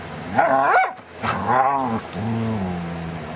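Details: A dog making odd vocal sounds: two rising, yowling whines with rich harmonics in the first second and a half, then a lower, drawn-out grumbling growl that trails off over the last second.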